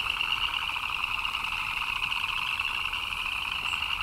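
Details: Chirping frogs in the rain form a thick, continuous chorus, countless rapid pulsed notes merging into a shrill, steady two-toned drone with no pauses from start to end.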